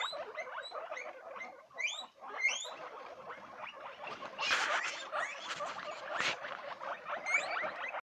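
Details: Guinea pigs give rising, high-pitched squeaks in an overlapping chorus, interrupted by two brief bursts of broad rustling noise midway.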